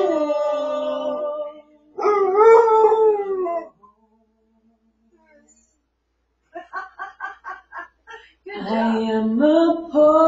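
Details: A Basset Hound howls along while its owner sings a favourite song, giving long, wavering tones with a burst of short yelping notes between them.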